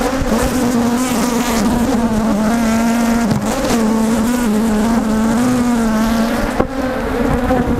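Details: Aggressive Africanized honey bees around an opened hive during honey removal, a loud continuous droning buzz with a strong low steady tone and faint wavering overtones, one brief sharp click near the end.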